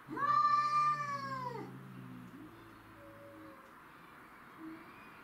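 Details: Domestic shorthair cats fighting over territory, among them Tom, black and white, Mimi, white and ginger, and a grey and white neighbourhood stray: a loud drawn-out yowl that sags in pitch, then a low growling moan and fainter wails.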